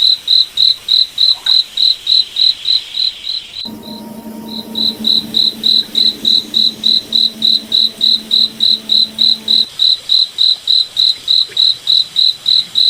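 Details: Crickets at night in a moonlit forest: steady high-pitched chirps, about three and a half per second, with a brief gap near the start and a low droning hum in the middle.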